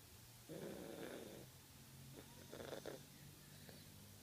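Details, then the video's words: A ten-year-old pet Fox Terrier snoring loudly while asleep: two drawn-out rasping breaths near the start and middle, each about a second long, with a steady low hum beneath and quiet room background. "My dog Spanner snoring louder than i do."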